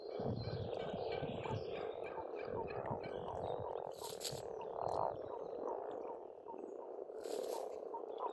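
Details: Frogs croaking together at a pond in springtime Estonia, a thick steady rattling chorus with individual croaks poking through, birds whistling and chirping over it, plus a couple of brief broadband clicks.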